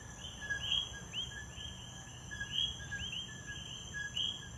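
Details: Puerto Rican coqui frogs giving repeated two-syllable calls, a low short note followed by a sharp rising chirp, spaced irregularly about every half second, against a steady high insect whine.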